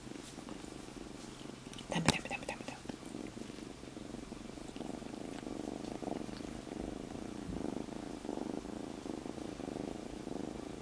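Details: Freshly rescued kitten Monaka lies on a person's stomach purring in a continuous low, rhythmic rumble; a sharp rustling knock near the start and a quiet voice saying it hurts at the end.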